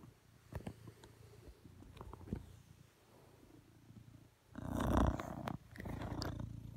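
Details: Blue British Shorthair cat, male, lying beside his owner on a sofa and asking for cuddles; a low, steady rumbling purr runs throughout, broken near the middle by a loud, rustling burst of handling noise lasting about a second.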